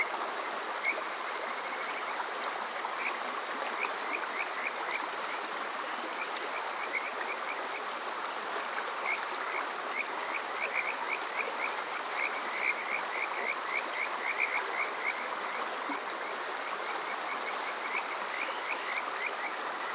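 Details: Kajika frogs on a summer night near a stream at Yokoze in Chichibu, Saitama; high chirping notes in quick bursts, partly masked by loud continuous running water.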